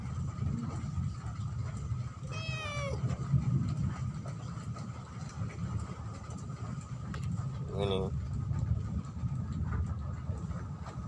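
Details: Domestic cat giving two short meows about five seconds apart, each quickly falling in pitch, over a steady low rumble like a passing vehicle, with a voice speaking.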